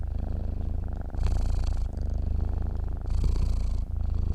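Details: Sleeping cat's purr, deep and continuous, its rhythm set by slow breaths, with two louder hissy inhalations standing out over the rumble.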